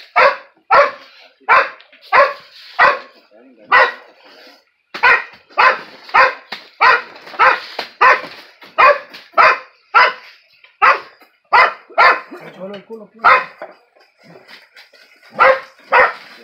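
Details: Dog barking while confronting a skunk: loud, sharp, broadband barks in quick series, roughly one every half second to second, about twenty in all, with brief pauses near four and fourteen seconds.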